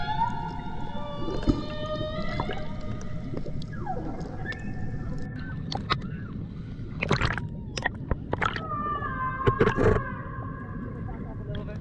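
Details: Humpback whale vocalizing underwater on the Banco de la Plata, a sanctuary northeast of Puerto Plata in the Dominican Republic, 2024. Long harmonic wails and a falling sweep are broken by sharp broadband knocks and pulses near the middle and end.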